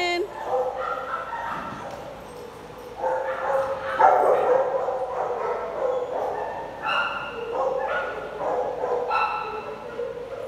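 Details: Play group of big dogs, with repeated harmonic barks and high yips arriving in bursts, while people talk in the background.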